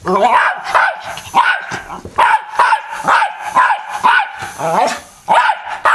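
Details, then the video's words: Pet dog barking and lunging at a fan indoors: a run of loud, sharp barks, roughly two per second, in irregular bursts with brief pauses, with faint voices underneath. "Barking Dog"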